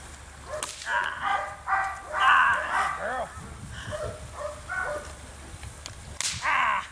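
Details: Female Belgian Malinois attacking during civil drive training: a run of loud, harsh barks in quick bursts over the first three seconds, then a few scattered barks, with sharp whip-like cracks and a final burst of barking.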